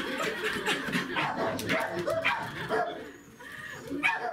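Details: A Welsh Corgi, overjoyed at meeting its breeder, gives a quick string of excited, high yips and barks in greeting.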